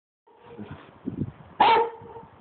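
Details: Pet dog giving a short burst of rough vocalising that ends in one sharp, loud bark with a steady tonal hum in the background.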